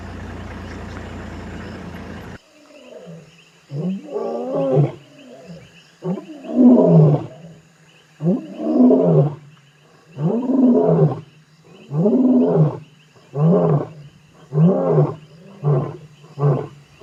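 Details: At night in the Timbavati, near Kruger National Park, an adult male lion, one of two brothers leaving a giraffe kill, roars in a deep series of grunting bursts, slowing and shortening toward the end. The call can carry seven to eight kilometres, with lightning in the distance.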